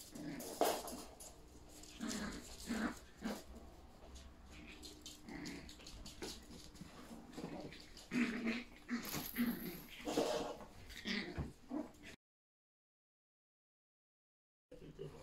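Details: Yorkshire Terrier puppies at play with their mother in a house, running about; playful low growls and whiny yelps recur irregularly amid scrabbling paws and clatter, ending in silence.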